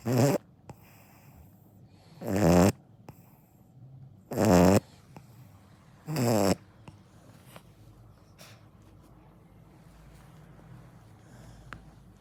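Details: Akita puppy asleep and snoring, four heavy rattling snores about two seconds apart, then the snoring stops and only faint room hush and small clicks remain.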